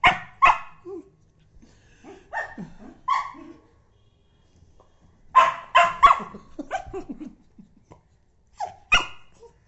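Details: Dog reacting to its tail being blown on: irregular loud barks in bursts, mixed with short growling grumbles and whiny yips between the outbursts.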